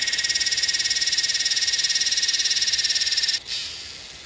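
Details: A Yellowbelly cicada (Psaltoda harrisii) calling in Northern NSW, Australia, on 8 December 2020 gives a loud, high, rapidly pulsing buzz that cuts off abruptly.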